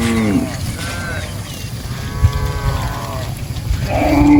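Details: Cattle grazing in a rice field, with a short low moo, then fainter drawn-out harmonic calls and a rising louder moo at the end, amid a heavy low background rumble.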